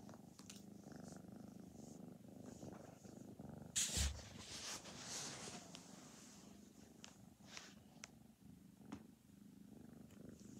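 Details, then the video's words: An orange and white foster kitten, about four months old, purrs indoors while being petted and seeking attention. The low, steady rumbling purr runs throughout, with a sharp rustling thump near the four-second mark and light handling noises. "Kitten Enjoying Pets"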